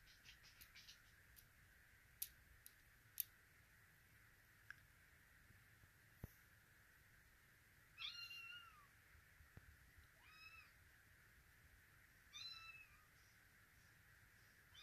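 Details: Russian Blue kittens, including a female born September 6, 2023, in Vancouver, give thin, high-pitched meows in short bursts against a steady background hiss.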